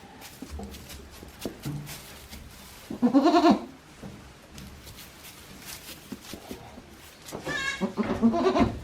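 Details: Newborn goat kids, one day old, on a small Japanese goat farm, 17 April 2024; two clear wavering bleats with rich harmonics, one around three seconds and a longer one near the end, over quiet barn noise.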